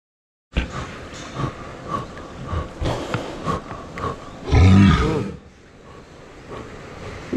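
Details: A captive walrus at a Japanese aquarium gives a deep, harsh roar that rises abruptly from a background of knocks and splashes, during staff attempts to collect stool samples.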